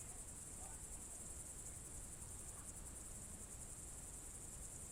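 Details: Crickets calling on a June evening in 2023 in the Novgorod Oblast countryside at Novye Buregi: an even, sustained high trill with slight rhythmic pulsing and a quiet low hum beneath.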